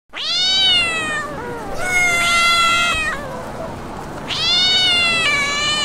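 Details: Domestic cat meowing: three long, drawn-out meows with clear harmonic stacks, each holding steady then gently falling, with short gaps between and a faint room background.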